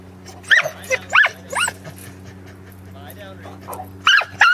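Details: Corgis on their second herding attempt with sheep at a farm in Arlington, 27 March 2011; a few sharp, harmonic barks rise and fall in quick bursts, then a pause and two more barks, over a steady low hum.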